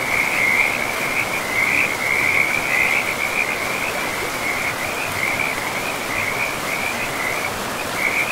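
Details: Frogs calling beside a forest river: a near-continuous high, pulsing trill that wavers in pitch and swells and fades, with an even wash of rushing river water underneath.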